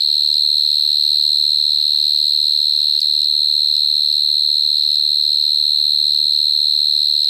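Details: Close-up cricket song: an unbroken, piercing high trill sustained at an even level throughout, over soft low background murmurs.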